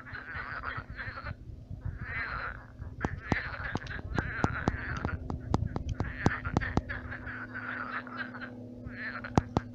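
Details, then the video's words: Night chorus of many frogs in a shallowed pond become swamp: rasping croak bursts in waves every second or two, mixed with frequent loud sharp clicks and a constant low hum. "Кваканье лягушек. Лягушки квакают."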